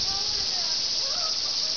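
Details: Cicadas up in the trees at Nokendai Community Center fill the air with a steady, dense, high-pitched buzzing drone that never pauses, while a voice speaks over it.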